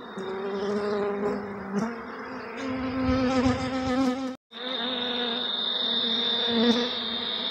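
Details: Honey bees at hives in Jamaica, a man handling them: a dense, continuous buzzing hum of many bees with shifting harmonic tones, a brief break midway, then a steady high whine joins the swarm's drone.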